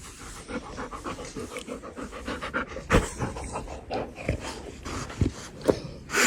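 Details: Dog panting fast and steadily, broken by a few sharp snorts and sniffs, while a person speaks briefly close by.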